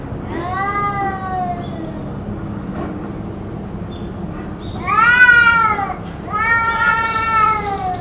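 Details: Drawn-out cat wails, possibly from a fight that went on for around two hours: one long descending moan, a pause, then two louder, arching, whining yowls with a warbling edge over steady low background hum.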